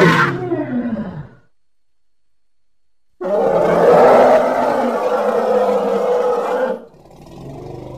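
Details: Baby elephant at play gives a short harsh call, then after a silent pause a sustained, rough, roaring blast of about three and a half seconds that ends abruptly into a softer rumble.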